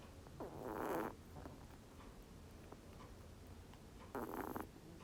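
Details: A snoring rabbit gives two soft, rasping breath bursts about three seconds apart, each lasting under a second, with near silence between them.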